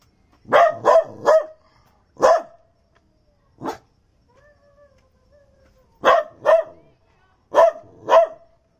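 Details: Male Daito dog, a Japanese native breed from Minami Daito Island, born July 2008, kept at a zoo in Okinawa, recorded in December 2020: sharp barks in clusters of two or three, a faint whine between, otherwise quiet.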